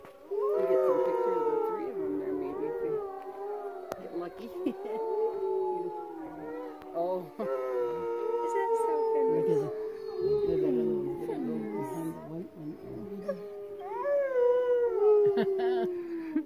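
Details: Several gray wolves at a wolf sanctuary in Westcliffe, Colorado, in the Wet Mountains, howl together, long sliding tones rising and falling over one another in a chorus.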